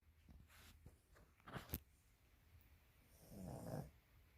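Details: Sleeping dog snoring indoors: a few irregular low, rough snorts and breaths spaced unevenly, the last one longer and more rumbling.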